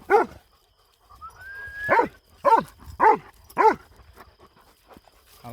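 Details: Kangal dogs loose at night on a farm, barking during a night hunt: five loud deep barks spaced about half a second apart after a single opening bark, with a faint rising whistle-like tone between.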